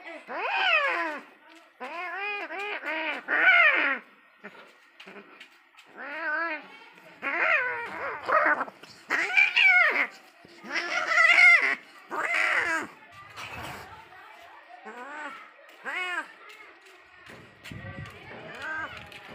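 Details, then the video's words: Fighting, angry cats give a rapid series of short, strained, arched cries in clustered bursts separated by brief silences, sounding indoors. "Deadly fight between cat🐈 angry cat😾"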